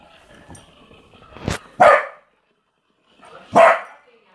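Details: Corgi puppy playing with a hamster in a ball; two loud single barks about two seconds apart after soft rustling and faint voices.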